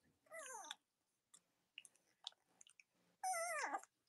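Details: Young Cavalier King Charles Spaniel puppies from Robin and Myra's litters, indoors in the US on a chilly Monday morning, make two drawn-out whining cries that slide downward, with soft rustling and small squeaks between them.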